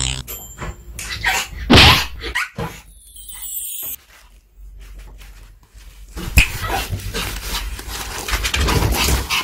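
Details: A Pomeranian crunches and gnaws on a microwave-warmed duck cartilage bone treat, her first time trying it, with irregular sharp cracks and wet chomping; a brief high squeak and a rustle of handling are also heard.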